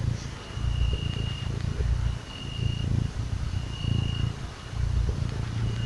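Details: Cuddled little cat purring contentedly: a low, throaty rumble surging in regular breaths roughly every second, accompanied by a soft intermittent high-pitched tone.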